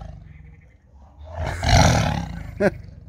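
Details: Captive tiger roaring at feeding time, telling the keeper not to throw more chickens because it would have to guard another. A short, deep, throaty roar rises and falls, followed by a brief sharp knock.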